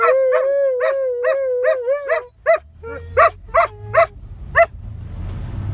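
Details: A Siberian Husky howls at sirens while teaching a German shepherd to howl: a long, wavering howl, then a run of short, sharp yips.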